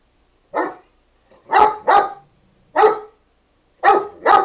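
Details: Nikki, a dog, barking to coax her companion Nubbs into play; five loud, sharp barks, a single one followed by a quick pair, then another single and a closing pair.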